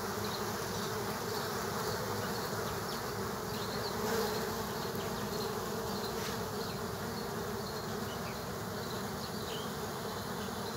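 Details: Multiple killer hornets battling bees at an underground nest: thick, continuous buzzing from many wings, a slight surge at about four seconds, and scattered faint high ticks.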